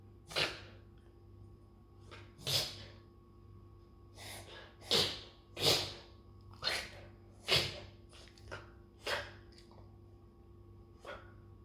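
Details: An Australian Shepherd reverse sneezes with harsh, breathy snorts about once a second. This reflex is not apparently distressing to the dog and happens most during spring allergy season.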